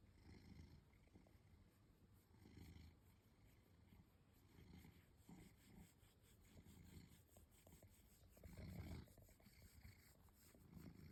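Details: Indoor cat being scratched, as happens every night, purring in slow low rumbling waves that recur every second or two and peak near the eighth second; soft handling sounds throughout.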